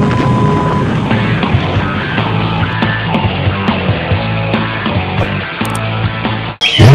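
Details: Loud, heavy rock music fills the whole stretch, ending in a brief burst of noise, with no animal voice heard.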